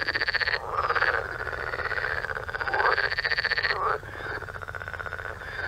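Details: A dense night chorus of frogs in the waterways around a farm, croaking with rapid rattling pulses and overlapping voices that swell and fade every few seconds.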